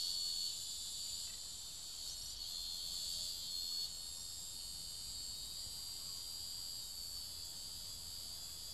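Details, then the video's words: Cicada being devoured by ants, giving a continuous harsh, high-pitched buzz with no breaks, slightly louder over the first four seconds and then steady to the end. "Cigarra Devorada por formigas"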